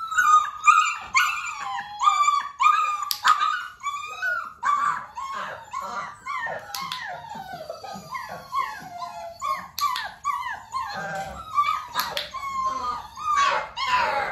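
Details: Clicker training session for Dalmatian pups almost six weeks old, mother Arya present: steady, rapid high-pitched whining and squeaky yelps, about two per second, from several overlapping puppies, with no lull.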